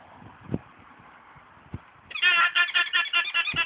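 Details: An alpaca at an alpaca farm in Norway gives a loud, shrill run of rapid honking pulses after a quiet start.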